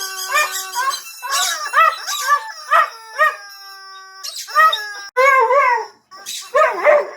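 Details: Husky howling along with a squeaky toy, giving a series of short wavering yodel-like howls with sharp squeaks between them, some rising and falling in pitch.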